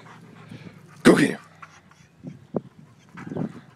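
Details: Kole, a seven-month-old male German Shepherd, barking at someone: one loud gruff bark followed by a few fainter short yips, while a person urges him on.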